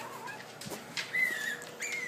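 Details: Puppy tackling stairs for the first time lets out a sustained high whine that holds level then sinks, followed by a shorter one, mixed with scrabbling paw knocks and a room's background hum.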